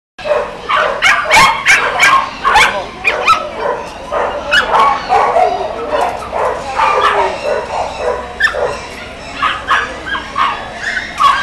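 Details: Dog in Wuhan, China, giving a rapid run of sharp barks and short yips. The barks come close together and overlap for the whole stretch, with a steady background bustle behind them.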